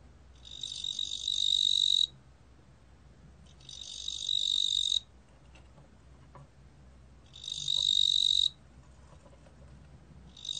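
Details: Ttungbo cricket (뚱보귀뚜라미), recorded for Korea's National Institute of Biological Resources, 2020: three high, buzzy trills of about one and a half seconds each, repeated roughly every three seconds over a faint low hum.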